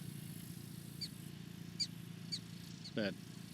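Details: Prairie dogs in a large prairie dog town in Badlands National Park, South Dakota, give sharp, high chirps every half second or so, warning the colony of a nearby person.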